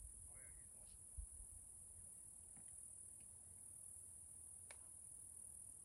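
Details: Cicadas in a forest in Washington State, Pacific Northwest, give a steady, unbroken high-pitched hiss-like drone throughout. A few brief faint chirps and a soft low rumble sit underneath.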